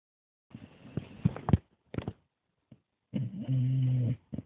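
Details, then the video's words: Olav, a dog, snoring indoors: low, rough rumbling bursts, then one steady, drawn-out droning snore lasting about a second, followed by a short final snort. "Olav the snoring dog"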